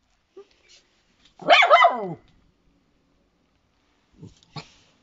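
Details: A Shiba Inu pet dog giving a drawn-out, slightly growly bark of about three-quarters of a second, harmonics sliding downward, followed by two short soft huffs near the end; quiet room otherwise.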